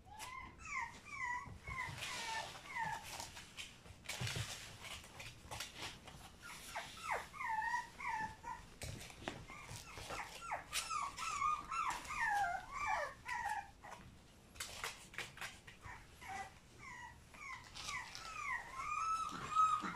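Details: Litter of French Bulldog puppies born on 6 April, crying together in thin, whistly whines that rise and fall, repeated roughly twice a second with overlapping calls and brief gaps.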